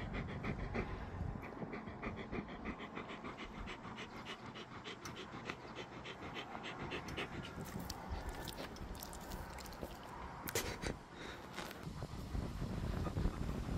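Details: Gorlock The Destroyer, a dog, panting steadily and rapidly at roughly three breaths per second, a rhythmic breathy huffing with occasional snorts and soft whimpers, plus a few sharp clicks near the end.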